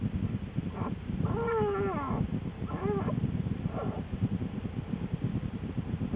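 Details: American black bear female in a winter den, January, shortly before the birth of her two cubs: one long, slowly falling moan followed by a shorter call and a faint third, over low rumbling bedding noise.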